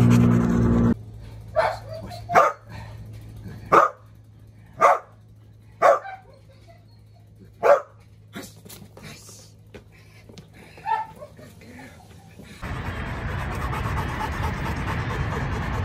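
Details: Dog from a home with a Cane Corso and a Belgian Malinois in training, giving sharp, single barks about once a second, with a steady low hum beneath and a burst of broad rushing noise at the end.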